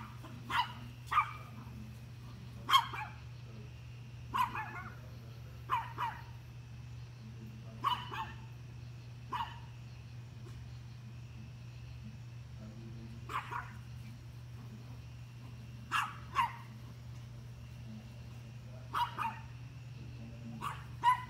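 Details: Dog barking at deer, a long run of sharp single and double barks roughly every one to two seconds, some fainter and more distant, over a constant low droning hum.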